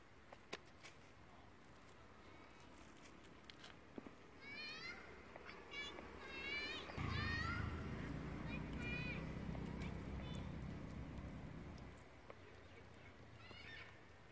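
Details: Monkeys of the Mila troop: mother Katie, angry, fights her tiny baby Chase. A burst of high, wavering, chirpy squeals runs for several seconds mid-clip, with steady low rumbling noise underneath.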